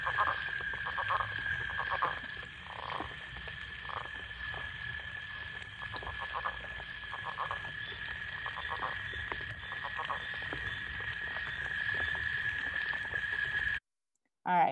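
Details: Northern leopard frog, a Michigan spring caller, gives a deep rattling snore ending in chuckling "chuck chuck" notes, with other frogs calling behind.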